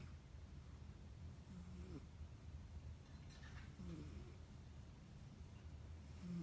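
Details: Soft snoring from a sleeping house cat, quiet low rumbling breaths with brief tonal rasps about every two seconds, heard against a constant low background hum in a small room.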